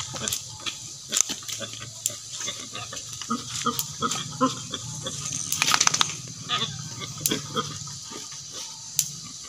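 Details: Native pigs kept for breeding on a farm, giving low, rough grunts that run through the recording, with scattered knocks and clicks and faint human voices in the background.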